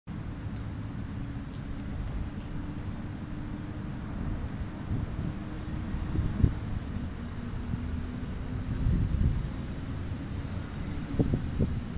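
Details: Steady low wind rumble and an engine-like drone fill the recording, with a few soft knocks; no animal sound stands out.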